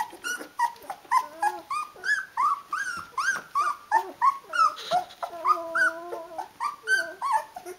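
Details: Rhodesian Ridgeback litter at sixteen days, eyes open, calling mum to feed them: continuous overlapping whines and squeals about three per second, with one drawn-out wavering cry near the middle.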